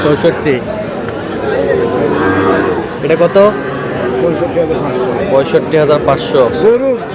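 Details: At a market in Sherpur, Bangladesh, Sahiwal bull calves being bought by a farmer give several low, wavering moos. Close human voices talking and crowd murmur are mixed in throughout.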